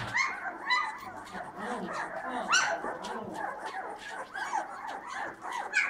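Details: Nine two-week-old Bernese Mountain Dog puppies, kept as a litter at home, give high, squeaky whimpers and short squeals that overlap almost continuously. Faint human voices are heard beneath them.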